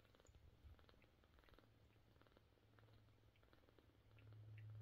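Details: Domestic cat, a mother with her kittens, purring steadily indoors: a low continuous rumble throughout, with faint soft rustles and small clicks above it, growing slightly louder near the end.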